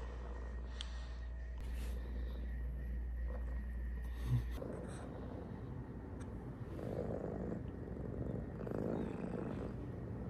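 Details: Blind house cat purring while searching for its owner's shoulder: a strong, continuous low rumbling purr, with rustling and handling noises early on.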